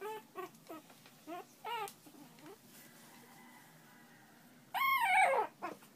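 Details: Newborn Shih Tzu pups being handled during playtime: a series of brief yelps and whines early on, then a loud, sustained harmonic squeal that bends downward, with soft human voices between.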